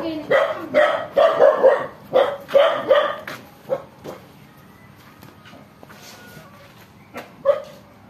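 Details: Pair of puppies living home alone, barking in a quick series of sharp yaps during the first four seconds, then mostly quiet with faint background noise and one last bark near the end.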